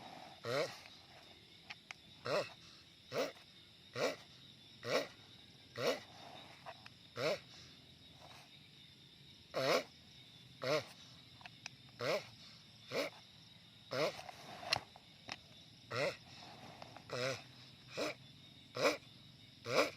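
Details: Giant sulcata tortoise giving a long run of short, gruff, wavering grunts about once a second, with a few faint softer sounds between the bursts.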